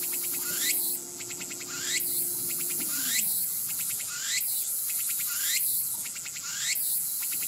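A Walker's cicada sings loud buzzy phrases, each ending in a rising sweep and rapid ticking, repeated steadily.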